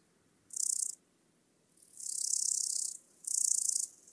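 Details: Omocestus haemorrhoidalis, the Rotleibiger Grashüpfer, singing at Mörnsheim, Germany, on 12 August 2021, picked up with a Pettersson D 100 ultrasound detector: three high, hissing buzzy bursts, the middle one longest, separated by short silences.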